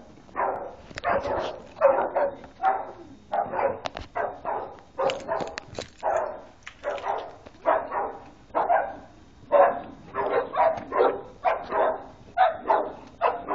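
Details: Boxers playing wildly together, three dogs, giving a steady run of gruff, clipped growling barks, roughly one or two each second, with faint scuffling between bursts.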